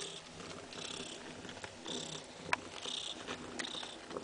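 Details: Mother cat Kaewe nursing her seven kittens, giving soft, breathy purring that swells in pulses about once a second, with small clicking suckling sounds between them.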